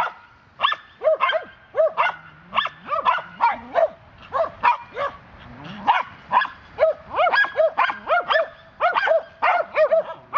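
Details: Swedish Vallhunds, three alert dogs reacting to a neighbour's cat seen a few hundred feet off, keep up dense, excited high-pitched barking, short yaps overlapping in quick irregular bursts with hardly a pause.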